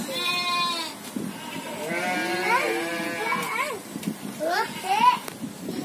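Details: Several goats in a farm pen surrounded by rice fields bleat in overlapping quavering cries with rising-falling shapes, one bleat breaking higher near the end, with speech and rustling behind.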